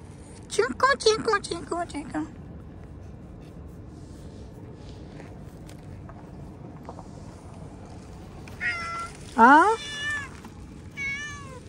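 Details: Cats meow while a man feeds them fish and talks to them; a rapid burst of short meows at the start, then quiet, then a loud sweeping meow and several wavering meows toward the end.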